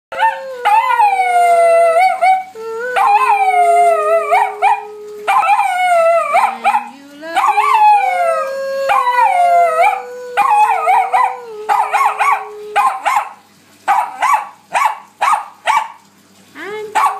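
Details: Bichon Frise dogs, one named Gino who loves to sing, howling together in overlapping high, wavering notes with some long steady tones, breaking toward the end into short repeated yips and barks.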